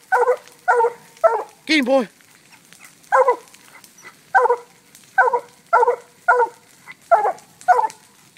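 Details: Black and tan coonhound Fog barking steadily at a treed raccoon that had been freed from a cage; a fast run of about eleven choppy barks with one longer, lower bawl near the start.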